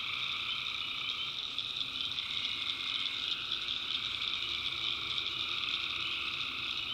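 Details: Swamp at night in the North Carolina backwoods filled with tree frogs: an even, sizzling chorus of high trills over a softer lower buzz, dozens of overlapping voices sustained without a break.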